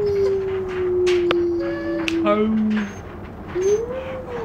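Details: A 4-month-old Giant Schnauzer puppy gives a long, thin howl that slowly falls, then rises and dips again.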